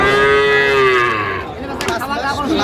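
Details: Sahiwal calf, five months plus, at Ambari cattle market on 18 August 2025: a single clear, sustained moo holding steady then sliding down, followed by shorter broken lows amid market chatter.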